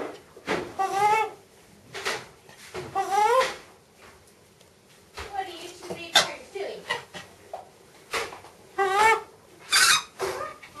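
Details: Excited macaque Miss Anna at Bear Creek Sanctuary vocalizes as her breakfast is made: a series of wavering, rising-and-falling tonal coos, about one every one to two seconds, with faint rustling in between and a sharp hiss near the end.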